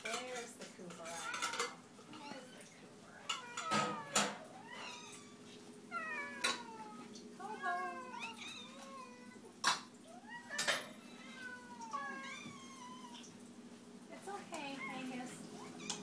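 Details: Several domestic cats meowing at feeding time indoors, many overlapping short rising-falling meows with harmonics, some drawn out, calling every second or so, with clicks and clatter of dishes and a steady mechanical hum underneath.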